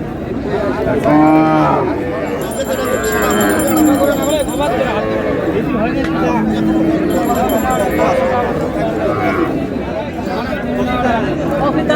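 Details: Cattle at the Raniganj livestock market in Dinajpur, cows and calves for sale: repeated low moos over loud crowd noise, with men haggling over prices close by.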